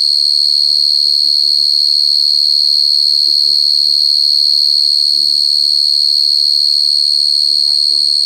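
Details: Very clear cricket chirping forms a constant, sharp high trill that pulses regularly, about 176 times a minute. Quiet human voices talk intermittently in the background beneath the insect's steady tone.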